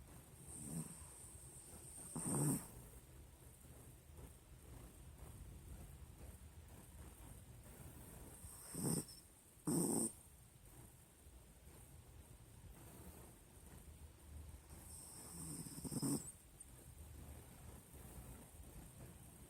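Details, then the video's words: Sleeping pet pinscher dog snoring indoors: soft, breathy snores at irregular intervals, a few louder rasping snorts near 2.5, 9 to 10 and 16 seconds over a steady low background hum. "pinscher roncando"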